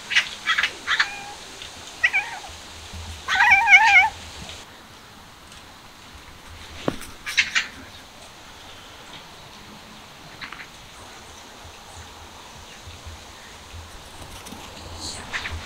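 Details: A newly appeared street cat, described as a rough-looking tough; a few short tonal meows cluster in the first four seconds, the loudest near the middle of that stretch, followed by faint scattered sounds over a low steady hum.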